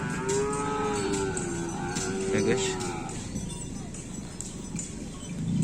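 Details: Racing bull at a kerapan sapi bull race held at Asemanis, with a long wavering moo in the first three seconds amid loud crowd chatter, music and a jingling bell.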